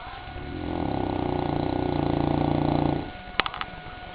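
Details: Goliath, a sleeping St. Bernard, snores in a long fluttering rattle that swells over about two and a half seconds and then stops abruptly, followed by a few faint clicks in the quiet.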